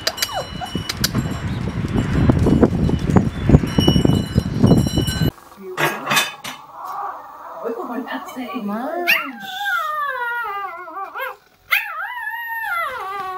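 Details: Siberian Husky puppies: after several seconds of rumbling noise and voices, a rising and falling harmonic howl-whine wavers up and down in repeated yodel-like swoops, growing longer toward the end.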